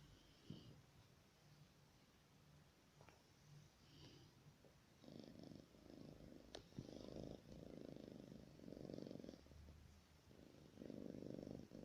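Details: Timofey, a pet cat, snoring in his sleep on 10 October 2019; soft raspy breathing bursts of about a second each follow one another, growing louder and rougher in the second half, with a few faint clicks.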